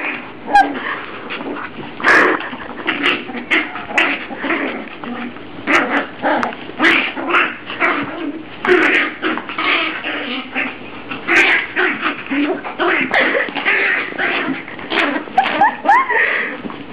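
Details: A puppy playing with a German Shepherd; dense, continuous yips, whines and growly barks overlap for the whole stretch, rapid and excited with scarcely a pause, loud and close.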